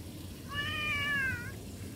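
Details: Cat, a pet kitten filmed indoors, giving one clear drawn-out meow of about one second, tonal with stacked harmonics, slightly wavering then falling at the end, over a low background hum.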